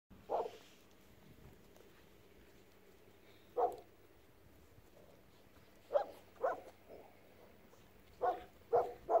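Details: Four-week-old Golden Retriever puppies from the Just x Laza litter at Colline d'Eole, including black-collar and blue-collar males, give short, mid-pitched yips, about seven across nine seconds at irregular gaps, some in quick pairs, over a quiet low hum.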